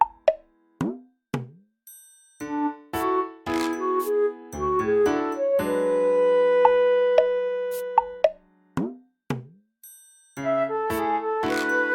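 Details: Bright plinking music of bell-like and plucked notes with short gaps of silence, without any animal sound.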